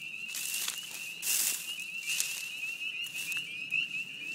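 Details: Spring peepers calling loudly at a beaver pond in spring, a dense chorus of high, shrill peeps merging into a steady ringing band, with a few brief rushing bursts of wind or rustling.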